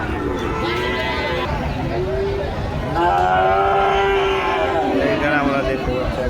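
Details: Bull calves at a livestock market (haat) in Joypurhat, Bangladesh; a low, drawn-out moo swells in the middle and holds for about two seconds, set against crowd noise and men talking nearby.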